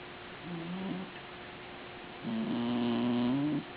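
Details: A puppy sleeping in a person's arms, snoring: two soft, low, tonal breathing sounds, a short one near the start and a longer, louder one later that rises slightly in pitch, over a quiet room hiss.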